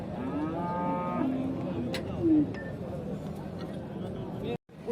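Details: Bull at a livestock bazaar in Shahrihon, for sale. A short, fairly soft moo lasts under a second. Crowd murmur and men talking about prices continue throughout.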